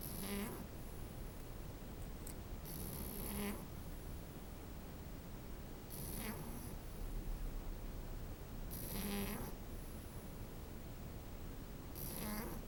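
A French Bulldog puppy snores in rough, wheezy breaths repeating about every three seconds.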